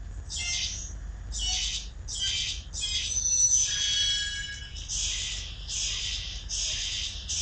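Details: Kittens calling, mother still around, filmed 12 September 2012: nearly continuous high, scratchy cries, some overlapping and drawn out, following one another every second or less in a small room.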